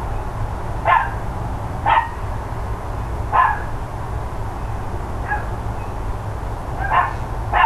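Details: Neighbours' dogs barking loudly on the morning of 13 October 2012, around ten o'clock: six sharp, mid-pitched barks spaced one to two seconds apart over a steady low rumble of background noise.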